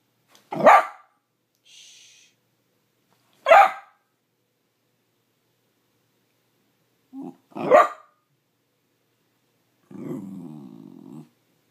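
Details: A dachshund named Ryder, hungry and wanting breakfast, gives three sharp barks spaced about three seconds apart and a brief grunt, then finishes with a drawn-out low rumbling growl.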